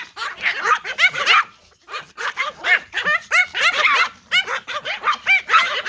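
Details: Pomeranian Toy Pom dogs barking in response to a whistle. Shrill, rapid yaps come in quick clusters, with a short lull near two seconds before the overlapping barking resumes.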